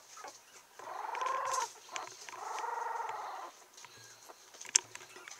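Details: Female Yorkshire Terrier puppy, steel blue and tan, 17 days old, born 20 November 2014, recorded on 7 December in Kochi, Japan. She gives two drawn-out, wavering whimpering cries about a second each, then faint squeaks and a sharp click.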